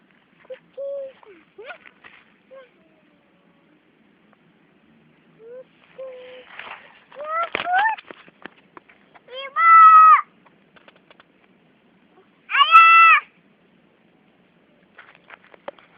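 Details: A cat at play gives short, faint mews early on, then two loud, drawn-out, tonal meows near the end, each rising and falling, with quiet scuffling in between.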